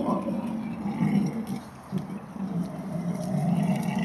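A wild boar gives low, rumbling grunts in a steady, throaty series.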